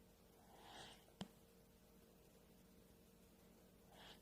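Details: Dog snoring softly while asleep indoors: two breathy, rasping snores about three seconds apart, a brief click between them, and a low, constant hum in the background.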